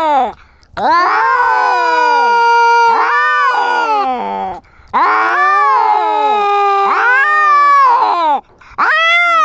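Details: Kittens in a fight, arguing with loud drawn-out wailing caterwauls, harmonic yowls rising and falling in long sustained bouts separated by brief pauses.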